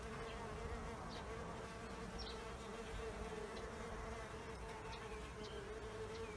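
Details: Bees around an insect hotel give an even, unbroken droning hum for the whole stretch over faint background hiss.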